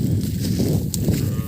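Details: Calves separated from their mothers call loudly: a dense, low, continuous bawling fills the whole stretch without a break, with several animals apparently overlapping.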